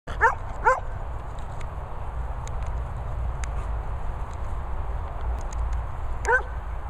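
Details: Dogs including a Beagle, Labrador, Poodle and Setter play together at a training and boarding kennels in Worcestershire countryside, England: two quick sharp yipping barks close together, a long pause, then one more, over steady low rumbling noise.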